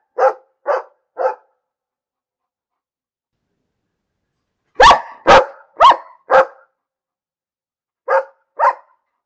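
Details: Barking dog in repeated bursts: three quick barks, a silent gap, then four louder, sharper barks, followed by two more; nothing else audible between them.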